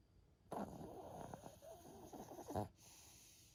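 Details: Yui, a pet Maltese dog, snoring: a rough, rattling, fluttering snore lasting about two seconds, ending in a louder snort, in a quiet indoor room.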